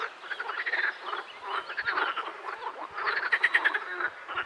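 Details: Chorus of edible frogs, a steady mass of quacking, rattling croaks rising and falling in volume, with a louder pulsed burst after three seconds.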